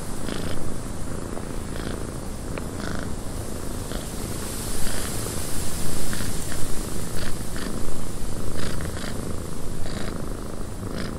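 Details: Continuous deep purr of a cat in a windy cabin, pulsing gently in loudness during the second half, set against rushing wind and many brief scattered clicks and creaks.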